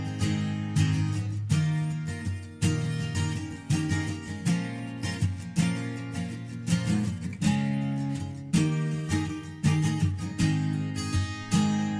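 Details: Strummed acoustic guitar in a country style with a steady rhythm fills the whole stretch, and no bees or other creatures can be heard.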